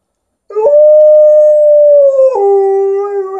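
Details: Liza, a pet Alaskan Malamute, "talking" with her owner in a long clear howl: a steady level tone held for almost two seconds, then an abrupt drop to a lower, slightly rougher held note, strong harmonics above.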